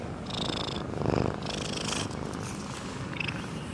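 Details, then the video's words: Cat of a botanical garden asleep and snoring, recorded up close: one short rough breath swelling and fading in the middle, with soft airy exhalations around it. "sleeping cat snoring"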